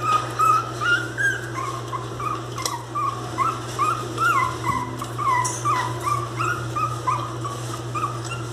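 Miniature Pinscher puppies whimper in short, high, wavering cries, repeated over a steady low hum.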